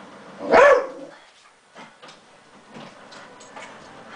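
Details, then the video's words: Newman the dog barking at a printer he dislikes indoors: one loud, sharp bark early on, followed by quieter clicks and mechanical printer noises. "GREATEST Dog Attacking Printer Video"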